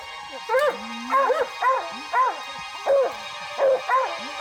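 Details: Hounds bay at a mountain lion that has climbed a tree in British Columbia's northern Rockies: short, arched yelping bays repeated roughly every half second to second, one following the next, over soft background music.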